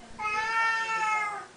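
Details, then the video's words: Siamese cat meowing at feeding time indoors, part of a daily morning and night feeding ritual; a single long, steady, harmonic-rich meow lasting over a second. "Our Siamese kitties at feeding time... again"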